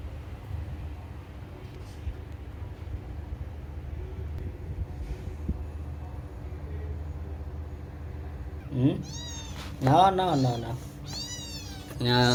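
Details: Cat meowing over soft background music with singing: the music plays alone for most of the stretch, then three loud, drawn-out meows near the end, each rising and then falling in pitch.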